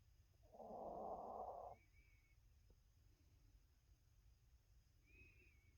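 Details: Olivia, a tiny sleeping dog, lets out a single rough, buzzy snore lasting about a second, then only soft breathing and faint room hiss follow; described as a quiet snore, as she sometimes snores as loud as an adult human.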